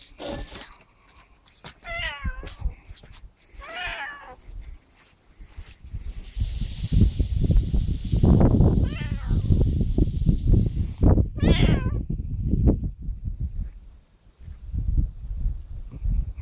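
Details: Pet cat answering its owner, who talks to it in Russian about whether it wants to eat: several wavering meows, the last one high and clear, partly buried under loud, close speech and handling noise.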